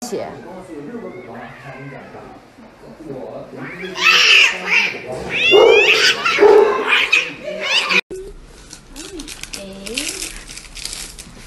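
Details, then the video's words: Cat receiving an injection, yowling loudly in drawn-out wails that rise and fall, clustered in the middle stretch, while people talk in Chinese before and after the cries. "Funny Compilation Cat Injection"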